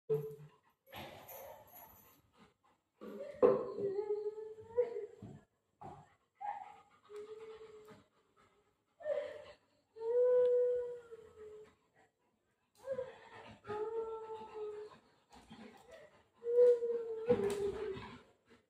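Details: Golden retriever named Buzo playing with mom indoors during a prank; drawn-out whining and howl-like moans rise and fall in several bouts over the clip, with a few soft human voices between them in a small room.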